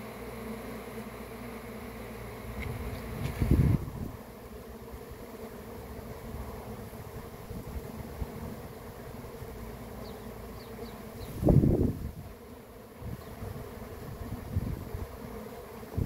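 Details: Honey bee swarm: a steady low droning hum held throughout, broken by two brief loud thumps near the 3.5 and 11.5 second marks, with faint higher ticks in between.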